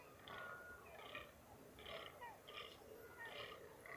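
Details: Hoarse, clipped groans of a rutting fallow deer in the mountains of NSW, Australia, about one every second, alongside thin high whistles from birds in the background.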